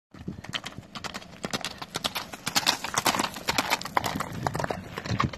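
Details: Hoofbeats of a horse travelling on the road from Timişoara to Alba Iulia: a fast, steady clip-clop of sharp hoof strikes, roughly two per second, continuing throughout.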